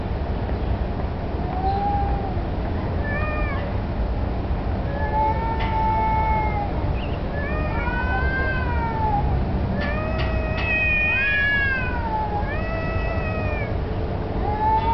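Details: Street cats, including a black cat taking a submissive stance, seemingly challenging each other for territory or possibly mating; repeated wailing yowls, each arching up then down, several overlapping with rich harmonics, over constant low-frequency street noise.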